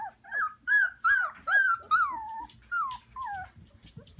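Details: Three-month-old Samoyed puppies from the Flame x Dimitri litter, indoors in a living-room pen with their mothers, Prince Edward Island, Canada, in March: a run of high whiny yelps, each sliding downward, about two per second, fading toward the end.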